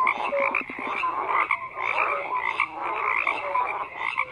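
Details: A thick chorus of frogs croaking, rough pulsing croaks overlapping about once a second, threaded with brief pure piping notes at two pitches; steady throughout, with no voices or other noises.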